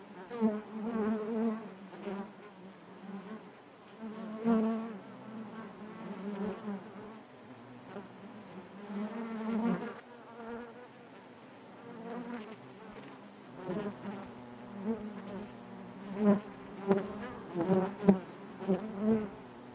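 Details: Honey bee colony buzzing in its hive, a thick low hum with overtones, steady at first, then broken by several sharp louder bursts toward the end.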